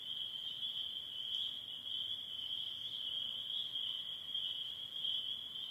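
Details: Spring peepers in northern Michigan during the last days of their spring calling: a dense, unbroken high-pitched chorus of shrill peeps forming a steady ringing band throughout.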